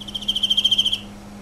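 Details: Emma field cricket singing one clear chirp of about a dozen rapid, evenly spaced pulses at a high, steady pitch, lasting under a second, with a low steady hum in the background.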